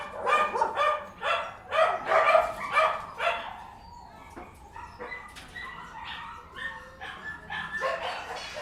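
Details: Barking in a kennel interior: about two barks a second in a dense, echoing chorus at first, then thinner, more scattered yaps and whines from several dogs.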